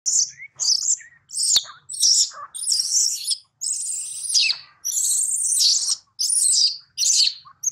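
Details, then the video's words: Baby monkey Daniela, taken from her mother Dana by another monkey, crying loudly for her mother: piercing, shrill high screams in rapid bursts, some drawn out and wavering, broken by short gaps, with one sharp click. "Baby Monkey Daniela Cries Seizure,Loudly For Calling Mom Help From DeeDee."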